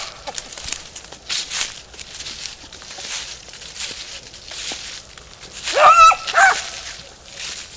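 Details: Beagle Harrier in a ploughed field gives one short, two-part bark near the end, following a stretch of footsteps and rustling outdoors.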